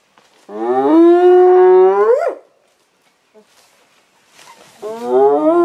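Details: Hyenas, spotted, fighting at an impala carcass, one uttering a loud, steady moaning call that climbs into a sharp upward squeal, silence, then another rising wail begins.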